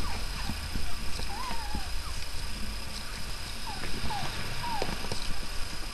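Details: Newborn puppies from a litter of five, three males and two females, born to their mother Miley the night before, feeding; thin high squeaky whimpers rise and fall in short curling notes scattered across the recording, over low indoor rumble.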